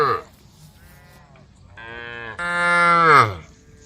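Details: Cows walking a road as a tame group call the herd with overlapping moos: faint calls at first, then a long steady moo that swells and ends in a falling, strained bellow.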